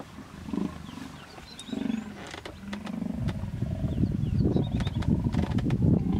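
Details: Female hippopotamus protecting her young from an approaching male in a small pod in the Vurhami River, Kruger National Park, South Africa; low rumbling grunts build into a sustained rapid growling chorus, with birds chirping faintly in the background.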